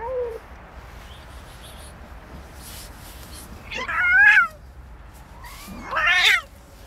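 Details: Street fight as three male cats set upon a female: a short low moan, then two harsh, ragged screeches with rising and falling wails, loud and rasping, about two seconds apart, amid quiet background noise.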